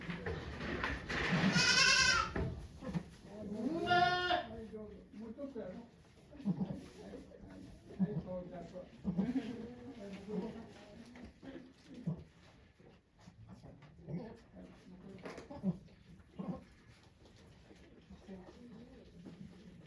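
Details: At a Japanese goat farm, Yoshigake, during Okayu the goat's delivery of twin kids on 3 May 2023 with volunteers present: two strained, quavering bleats close together early on, followed by a long stretch of murmured human conversation.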